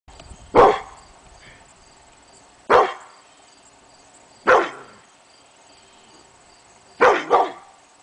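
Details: Hemi Bleu, a pit bull, barking at nothing one August morning; five sharp barks, spaced roughly two seconds apart, the last two a quick double, over a quiet room background.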